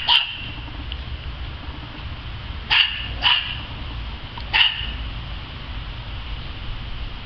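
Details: During playtime in the yard, a dog barks once, falls silent for over two seconds, then fires off three sharp barks, two close together and a third a second later, over low hum.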